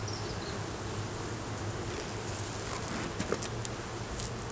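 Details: Honey bees at an opened hive during an inspection in the beeyard, with a laying queen and honey present; a steady, dense low hum of many bees, with a few faint bird chirps and light clicks above.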